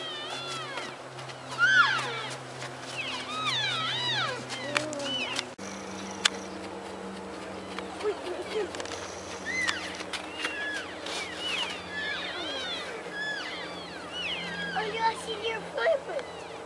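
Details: Herd of wintering elk feeding at Oak Creek wildlife area, Washington, chattering constantly: many overlapping high chirps and squealing mews, some arching up and down, rising from several animals at once over a low background hum.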